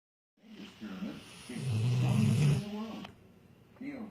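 A Rottweiler snores in a deep, rumbling drone that swells and fades with each breath.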